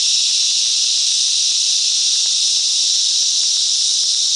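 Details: Chorus of cicadas in mangrove bushland at Coffs Harbour, New South Wales, Australia, forming one continuous high, sizzling buzz that neither rises nor falls, steady from start to finish.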